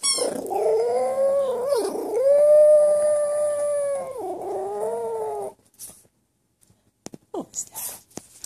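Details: While squeaking a toy, a Boston Terrier gives a long, wavering, tonal howl that rises and dips before breaking off.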